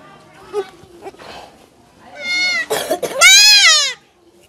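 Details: Kid goat during castration: low murmuring and handling noise, then two strained, quavering bleats in quick succession, the second louder and longer.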